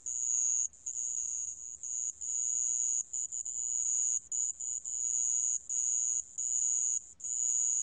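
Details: Sand cricket from a 2020 National Institute of Biological Resources recording: a high, steady, shrill trill running almost continuously, broken by brief irregular pauses, with no other sounds.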